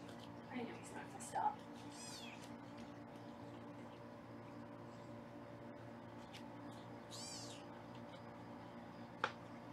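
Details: Faint, high-pitched arching kitten meows at about two and seven seconds while foster kittens are weighed on a 24/7 Los Angeles kitten cam, over a steady room hum and brief soft voice sounds.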